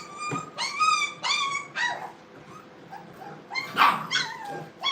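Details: Playing Brittany puppies in a training kennel: bursts of shrill, harmonic yips and short barks come in clusters, with a louder, rougher bark near the end.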